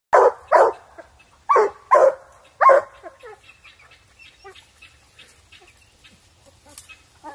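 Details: A Black and Tan Coonhound on a hunt gives loud, ringing treeing barks, several in quick succession, while treeing a raccoon.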